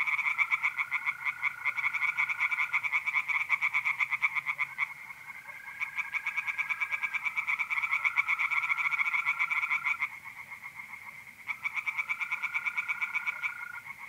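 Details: Pond chorus of tree frogs on a mid-April night, north-east Italy: loud series of rapid rasping croaks that pause and resume, while mole crickets give long, even trills in the background.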